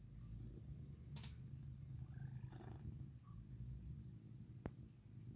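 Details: Cat lying in the sun, purring with a steady, low, rumbling drone that continues unbroken through the whole stretch, with a sharp click near the end and faint indoor background.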